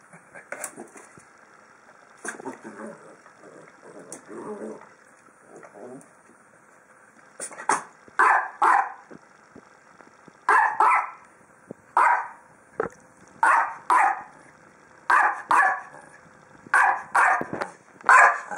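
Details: Little Ginga, a dog playing with a big red ball, gives a few soft sounds at first, then a run of sharp barks in quick pairs and clusters through the second half.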